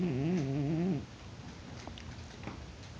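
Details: Dillon, a pet cat in deep sleep who won't wake despite being poked, snoring: one low, droning, wavering snore of about a second with buzzy overtones, followed by a near-silent indoor room with faint soft rustles.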